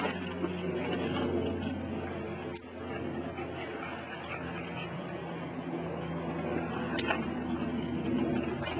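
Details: Outdoor recording with a steady low hum and broadband rumbling noise, a few faint knocks, and no clear animal voice.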